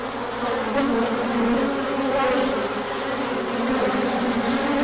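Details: Sunlit orientation flight of many honeybees on 24 March 2024, following colder weather: short stretch of steady, dense wingbeat hum with bees passing close, loudness swelling gently.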